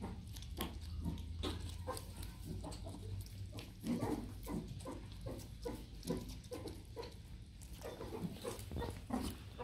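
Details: During enrichment feeding, three meerkats "fishing" make a steady run of low, pig-like grunts in quick succession, with faint splashing and tapping behind them.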